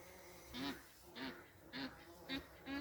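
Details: Hairy bumblebee collecting nectar on mullein: five short, low, buzzy bursts come about every half second, each swelling and fading, against a quiet background.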